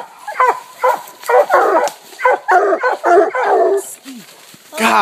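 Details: Treeing a raccoon, Walker, Bluetick and Black and Tan coonhounds bark steadily at night in a new spot. Short, harmonic, choppy barks repeat about twice a second, overlapping, with a lower yelp and a rising howl at the end.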